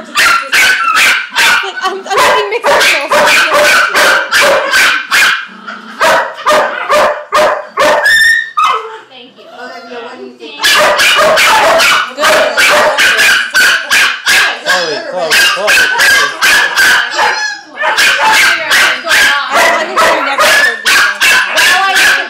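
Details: German Shepherd puppy at puppy class trading noises with someone in a long exchange; bursts of sharp, fast barking, roughly two to three per second, interrupted by squeaky whines and yodel-like yelps, with human speech mixed in.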